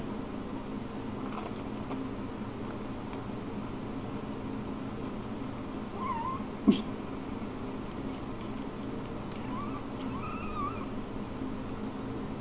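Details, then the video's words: Ragdoll kittens mewing indoors: a few soft, thin mews, one near six seconds and a wavering pair around ten seconds, set against a steady low hum with a single sharp click in between. "Ragdoll Kittens"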